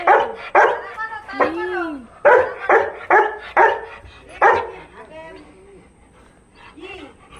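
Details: Labrador Retriever welcoming someone back home with a handful of loud barks, a drawn-out whimper, and fading whiny yelps, while a woman speaks affectionately to it.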